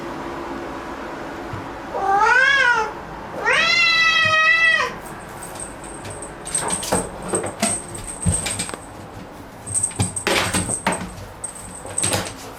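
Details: Momo, a black house cat at home, raises a noisy fuss on finding an insect: two loud, strongly harmonic meows, the first short and arching, the second longer and wavering, followed by scattered clicks, taps and rustling.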